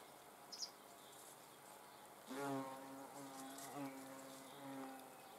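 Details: Hornet under observation; a faint tick, then a deep droning wing buzz starts sharply and continues steadily, slightly rising and falling in pitch, until the end.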